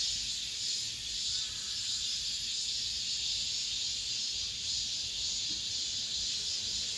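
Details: Cicadas singing in an apartment complex at the end of summer, the last of the season: a steady, high hissing drone that never breaks, swelling gently in faint pulses over several seconds, with no other voices or noises.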